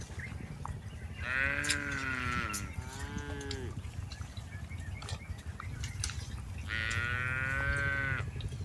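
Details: Tame cattle being herded through a rice field. Three drawn-out, richly harmonic moos that fall slightly in pitch: two close together early on, then a longer one near the end, all over a steady low background rumble.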